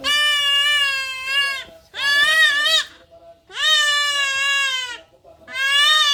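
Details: Goat kid in pain during castration, giving long, loud, quavering bleats almost back to back, each about one to one and a half seconds with only brief breaths between.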